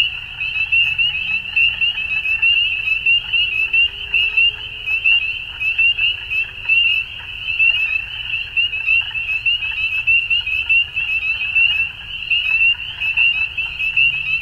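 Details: Frogs calling at dusk: a dense, steady chorus of high, rapidly pulsed trilling notes overlapping without pause, with faint lower croaks and a low rumbling background throughout.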